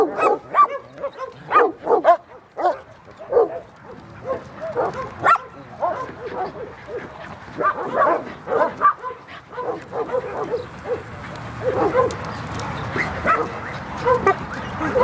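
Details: Dog barking, dated 12-03-2016: bursts of sharp, harmonic barks in quick series, separated by brief pauses, then a denser run of higher yipping barks toward the end, with some background voices.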